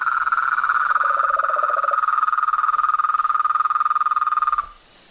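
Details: Frogs and toads calling in chorus, a fast steady pulsing trill with a lower rattling voice briefly joining, ending abruptly in near silence after four and a half seconds.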